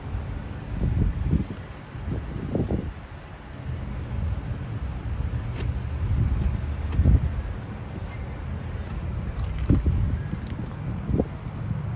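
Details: Gusty wind buffets the microphone over a low rumble, with scattered soft thumps and no animal calls.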